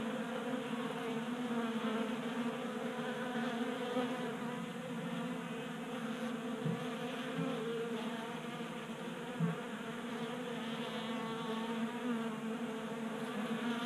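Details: Steady chorus of buzzing honey bees crowding a 3D printed bee feeder on a workbench in Colorado in January, the hum rising and falling as bees fly close, with a few soft knocks.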